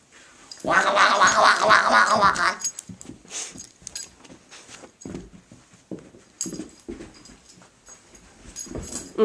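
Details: Mickey the pet dog, indoors with his favourite toy blacky, gives a loud rough two-second growl-like burst, followed by a string of shorter uneven noisy sounds; small-room acoustics with occasional human voice.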